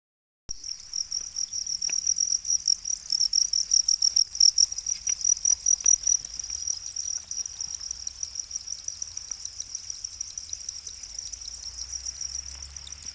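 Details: Domesticated para crickets, also called black crickets, kept in captivity: dense, continuous high-pitched chirping, a rapid pulsing trill of many insects together, steady for about twelve seconds after a brief silent start, with faint low rumbling below.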